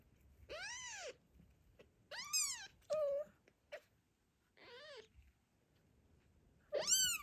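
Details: Postpartum mother cat worried about her newborn kitten during an afternoon walk with other cats nearby; several loud, arched, harmonic-rich meows, some short and strained, spaced by pauses, with a brief low chirp.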